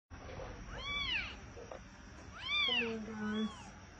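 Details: Kitten rescued from a deserted place gives three soft, arching meows about one second apart, the middle one strongest, over a low steady background hum.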